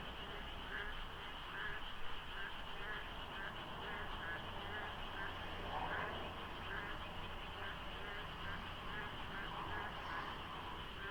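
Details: Dense frog chorus filling the pre-dawn darkness beside the Deokso IC expressway in South Korea during the monsoon season, with light fog and sparse traffic; overlapping croaks pulse continuously above a droning background and low vehicle noise.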